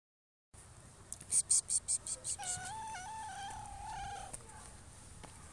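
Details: Domestic cat giving a drawn-out, steady meow of about two seconds with a clear tonal voice, preceded by a quick series of sharp rhythmic ticking bursts; a faint background hiss throughout.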